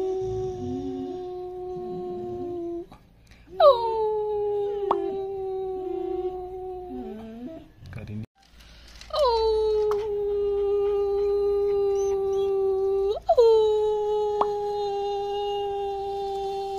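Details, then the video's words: Long-coat German Shepherd puppy, five months old, giving drawn-out howls that start with a sharp rise, then hold a steady tone for several seconds, repeated three times with short whimpering breaks between. "German Shepherd Puppy Howling"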